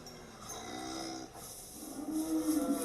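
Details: Salers cow on a dairy farm in Cantal, France, mooing at 5:20 in the morning during calving, after giving birth to a female calf for the first time; a low harmonic moo builds late in the clip over faint barn noise.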